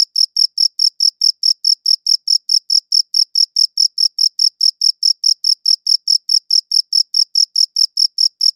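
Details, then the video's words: Crickets chirping, captured on a quality audio recorder: rapid, even train of short high-pitched pulses, about five per second, steady throughout, with no other sounds. "Cricket Chirping Sounds"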